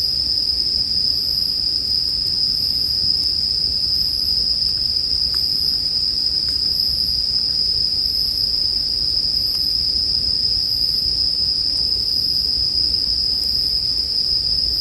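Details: Bell crickets singing as sleep background ambience, a steady high ringing trill held without break over a campfire's soft crackle, with occasional faint pops from the burning wood.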